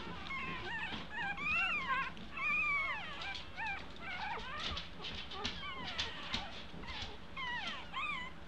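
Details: Two-week-old American Eskimo Dog puppies learning to walk fill the air with overlapping high, wavering whines that rise and fall, about one a second, several pups calling at once, with quiet human murmuring.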